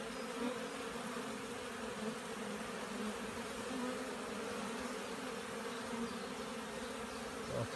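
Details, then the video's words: Honey bees flying around hives at an apiary in Poland on 15 April 2016, out in sunshine after more than a week of rain. Steady low droning hum with a few brief rustles, unbroken throughout. "W końcu ładna pogoda pszczoły latają"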